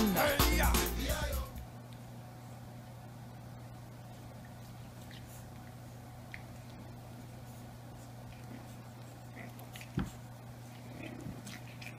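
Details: Indoor room tone with a steady low hum, a brief loud burst at the start and faint clicks and taps; no animal voice is heard.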